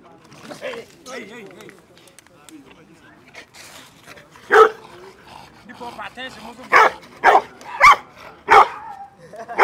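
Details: Bullmastiffs nearly fighting over attention; people talk quietly at first, then sharp single barks ring out at uneven intervals, several in the last few seconds.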